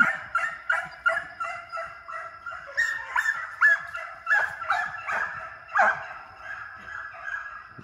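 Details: Young deer hounds running coyotes in a fenced fox pen for speed and endurance training; loud, irregular bawling barks from several dogs overlap, some rising yelps standing out.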